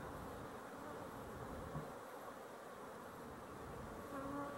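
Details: Honey bees at a hive with a slatted rack, filmed as the sun goes down on 12-11-23; a steady, even hum with no clear separate notes, and a faint tonal line near the end.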